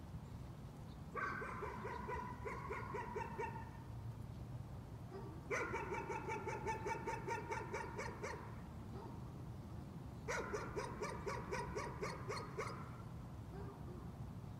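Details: Dog barking as a nuisance, in three separate bursts of fast, repetitive barks, each lasting two to three seconds, with short quiet gaps and a steady low hum underneath.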